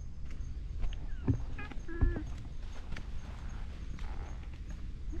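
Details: Elderly ginger tabby cat, a park stray, making an unusual voice while being petted: two short harmonic meows about a second apart, the second slightly longer and level, over steady low rumbling outdoor noise.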